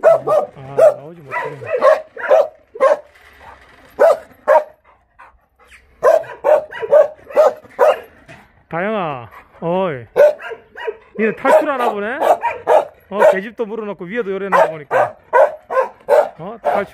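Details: Kennel of Jindo Dog Theme Park, Jindo County, where Jindo dogs bark rapidly and steadily, mixed with rising and falling whines and howl-like wavering cries from more than one animal.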